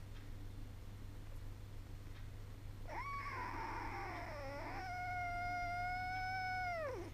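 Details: Sacred Birman kittens, ten weeks old, indoors with their mother; a long harmonic meow rises, wavers, then holds steady for about two seconds before dropping, after a shorter earlier cry, with a low steady hum behind.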